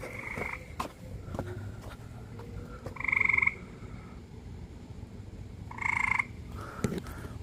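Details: A frog in a pool gives two loud, harsh, nasal calls about three seconds apart over a low night hum.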